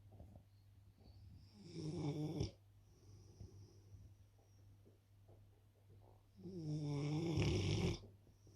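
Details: Rottweiler snoring loudly indoors, two long rasping harsh snores around two and seven seconds with quieter breathing between, a low steady hum underneath.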